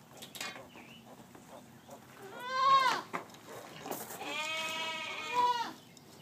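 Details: Gracie's newborn litter, piglets less than one day old, letting out two strong, ringing squeals that bend upward then down, the second held longer and wavering, with small clicks and shuffling between.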